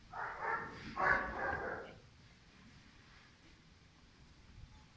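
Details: Pirat, a five-month-old German Shepherd puppy of sport and police working lines, lets out two strong, rough barks in quick succession, then silence in a small room.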